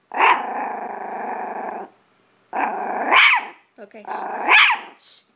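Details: Living-room Chihuahua confronting a hamper of clothes: a long steady growl of nearly two seconds, then two shorter growls, each breaking into a sharp higher bark at its end.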